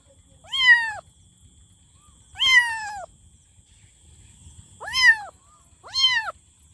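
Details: Kitten meowing loudly, four high harmonic-rich meows, each rising then falling, roughly half a second long and spaced one to two seconds apart, over a faint low hum and a steady high whine.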